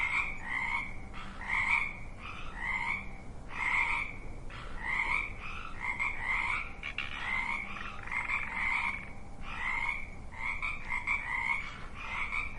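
Frogs croaking in a steady chorus of short, raspy, pulsed calls repeated about every second.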